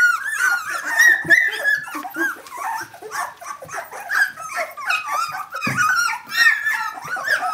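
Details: Brenda's 17-day-old puppies call out for her, a tangle of thin, wavering squeals and whimpers from many pups together, some notes sliding upward, with occasional rustling and bumps in a small room.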